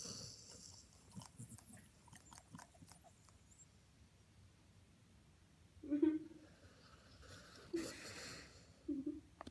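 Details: Male Vizsla napping on a couch with family on a Sunday gives short, throaty snorts and wheezy snores in separate bursts, with a little speech nearby.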